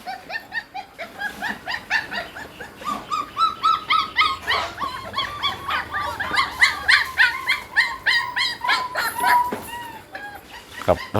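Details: Hungry Pit Bull puppies, several together, calling after their mother Namtan has nursed them: a dense chorus of short, high, repeated whines and yelps, several a second, overlapping and wavering in pitch, with laughter faintly in the background.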